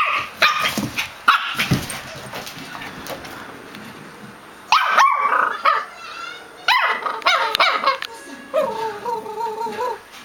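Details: Pair of pet dogs chit-chatting: scattered sharp barks and yips, clustered rapid barking in the middle, ending in a wavering, drawn-out whine.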